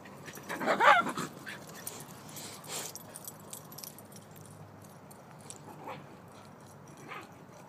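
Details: A single wavering, high whine from Hades, a Boxer-Ridgeback mix, near the start, followed by faint shuffling and soft sounds against low room noise.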